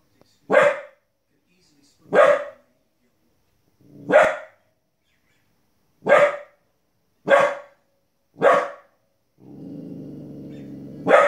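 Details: Fifteen-week-old female Border Collie puppy indoors, barking at wolves and other animals on TV: seven sharp separate barks about every one to two seconds, then a low droning TV sound near the end.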